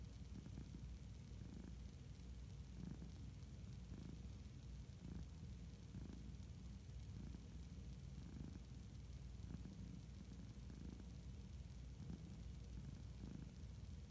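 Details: Chuck, an orange tabby cat, purring softly while napping: a low, steady rumble that swells and eases in slow breathing cycles of under a second, beneath a constant background hiss.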